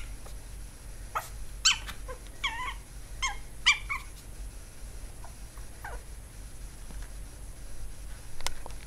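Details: Chihuahua puppy Swiffer indoors, letting out a burst of bright yips and whining squeals in the first four seconds, then a few softer whimpers trailing off, over a low steady hum.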